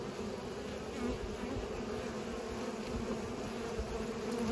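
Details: Bees at work pollinating, a constant humming buzz with steady low-middle tones, growing slightly louder toward the end.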